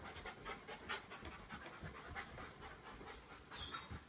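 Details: Domestic dog kept alongside a goldfish, breathing in quick soft hissing pants at a steady fast rhythm, faint against background hum, with a short high whistle-like tone near the end.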